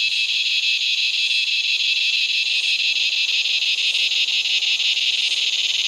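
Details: Razor grinder cicada, a common Australian cicada, calling as dusk falls: a loud, continuous grinding buzz, shrill and steady with a fast rapid pulsing throughout.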